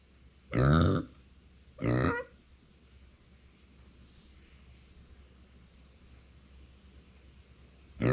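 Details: A female micro pig named Uni, kept as a family pet, calls out when left without company: two brief, rough, harmonic squeals about a second apart, followed by a long quiet stretch and the start of another cry.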